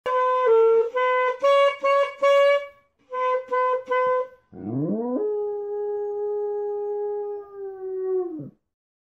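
A dog howls along after a run of short musical notes, swooping up into one long steady tone.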